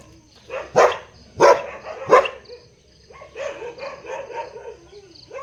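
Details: Big dog letting out three loud barks roughly two-thirds of a second apart, followed by a series of softer, quicker yelping or whining sounds.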